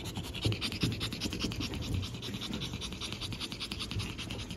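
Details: Five pug puppy siblings born April 17, lively and nearly ready for their new homes; rapid rhythmic panting of about two to three breaths a second, airy and hissing, over low handling and rustling noise.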